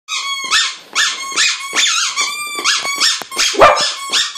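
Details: A Lhasa Apso "sings" along with his squeaky bone toy, giving high, wavering howls in short repeated bursts mixed with the toy's squeaks.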